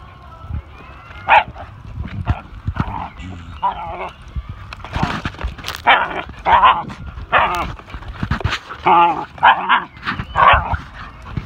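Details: Pinscher and whippet dogs playing together with a new friend; rapid high yips, whines and rough play-barks in irregular bursts, with scuffling and a human voice now and then.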